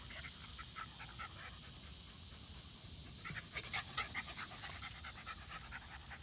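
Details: Rat terrier Zimbu playing with his sister Nalla outdoors, rapid breathy panting repeated about twice a second with brief squeaky sounds near the middle, steady background hiss.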